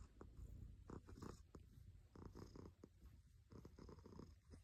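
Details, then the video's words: Purring cat recorded up close, a low vibrating hum with bursts of scratchy rustling and clicking noises at intervals. "Healing sounds of a Cat"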